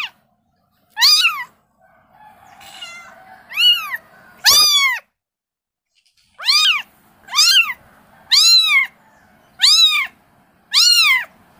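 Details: Kitten calling its mother with a series of about nine high, arched meows, each rising then falling, loud and clear, separated by short silences with a softer rustling stretch near the start.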